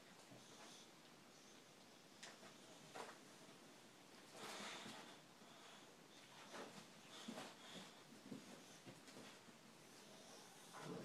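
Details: A Boxer dog indoors, trying to get his favourite ball from the bottom of his toy basket, gives short, breathy snorts and sniffs in bursts, mixed with the rattle and scrape of toys being rummaged through.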